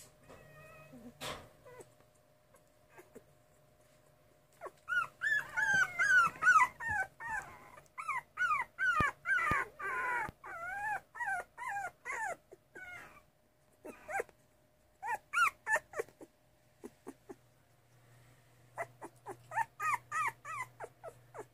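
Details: Miniature Schnauzer puppies 2.5 weeks old, named Bea and Jonesy pups, giving a busy chorus of high, wavering whimpers and squeaks, rising and falling, in rapid overlapping bursts with brief pauses, plus a low steady hum.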